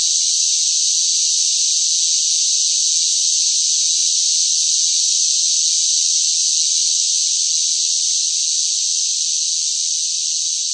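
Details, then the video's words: Loud cicadas singing in summer heat, a continuous high rasping wall of sound, constant in pitch with only a faint easing in loudness near the close; no other sounds. "뜨거운 무더위 속 시끄러운 매미 울음 소리, 시끄러운 매미 소리가 듣고 싶을 때"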